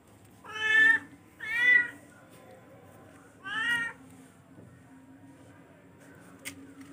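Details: Three loud, bright meows from a charcoal F1 cat, the first two close together and the third after a short pause, with a low steady hum in the room behind.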